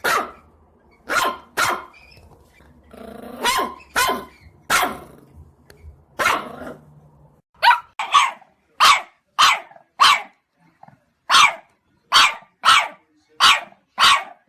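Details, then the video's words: Dog barking in sharp single barks, first spaced unevenly with a low growl and rumble in between, then settling into a regular run of crisp barks about every half second. "강아지 짖는 소리"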